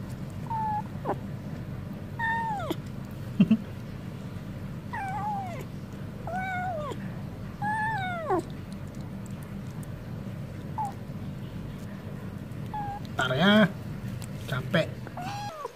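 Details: A stray cat asks for food, offered wet food, giving a run of about eight short meows spaced one to two seconds apart. Each starts high and curves downward. A low background hum runs throughout.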